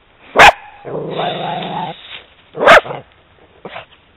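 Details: Italian Greyhound, female, reacting on a walk to the sight of a horse: two sharp high barks with a long low growl between them, then a faint short yelp.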